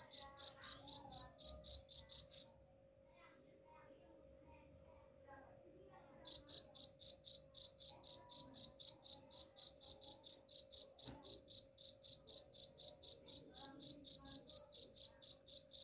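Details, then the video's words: Cricket chirping intended to drive rats away. Quick, high, evenly spaced chirps at about four per second stop for nearly four seconds of near-silence, then resume for the rest, above a quiet steady hum. "suara jangkrik pengusir tikus ampuh"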